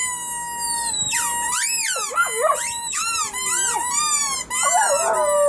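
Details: A family of puppies howling together, one steady held tone joined by overlapping wavering, sliding howls that swoop up and down, continuous throughout.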